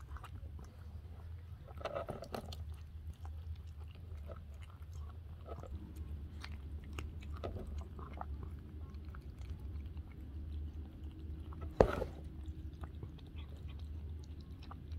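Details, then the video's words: Domestic cat Murzbo lapping and chewing raw turkey meat food indoors. Quiet, irregular slurps and ticks run throughout, with one sharp louder knock near the end and a constant low background hum. "Kitty Tongue 👅 Slurping Up Fresh Flesh 🍖 Raw Cat Food"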